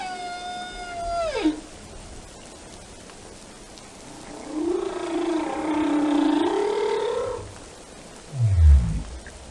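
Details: Whale song with a sustained tone gliding down steeply, a long wavering moan of about three seconds that dips and climbs again, and a short low rumbling sweep at the end.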